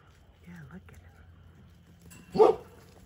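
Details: Young Whippet puppy from a playful 4 to 6 week old litter lets out a single short, sharp yip near the end, with a person's soft voice calling to the pups before it.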